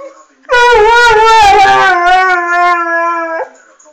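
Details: Delta, an Airedale Terrier, singing unexpectedly: one sustained, rich howl lasting about three seconds, wavering at first, then settling into a steady falling tone before stopping abruptly.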